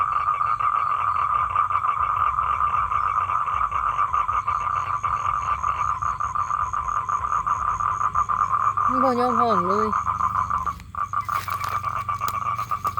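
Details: Male toad calling for a mate with a sustained rapid trill; a person's voice briefly speaks over it near the end, after which the trill carries on more softly alongside some clatter.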